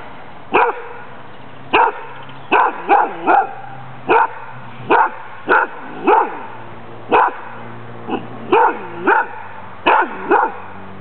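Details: Sammy (Lewanika Dumisani), a playful, friendly female dog with a strong hunting drive, barks during her Danish Kennel Club temperament test on 14 April 2007. About fourteen sharp, harmonic barks come singly or in quick pairs, roughly one each second.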